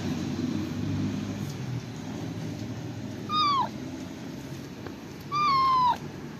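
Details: Calico cat giving two short meows about two seconds apart, each clear, tonal and sliding downward at the end, over a low rumbling background.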